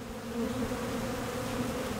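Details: Many Western honey bees (Apis mellifera) in a cloud around a couple dozen hive boxes in a Boston parking lot give a continuous, even drone, a low hum with a brighter, wavering overtone that barely rises or falls.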